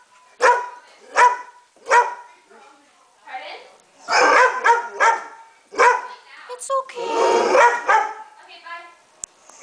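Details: Pet pit bull barking in a run of short, high yips about two-thirds of a second apart, then longer whining and barking mixed with a person talking.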